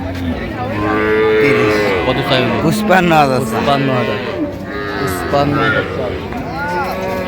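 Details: Cows and calves on sale at Raniganj market, Dinajpur, 23 October 2025; repeated harmonic moos, several short and arching, overlapping with loud bargaining speech and general market bustle.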